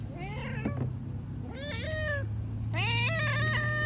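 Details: A cat meows three times, loud and insistent, each call rising then bending down, the last one longest and strongest, with a steady low engine-like hum underneath.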